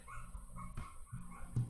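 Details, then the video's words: Small house dog barking at home during a live online class, faint and muffled: three short low barks spaced about a third of a second apart, with a quiet background hiss. "oi vocês estão ouvindo meu cachorrinho latindo"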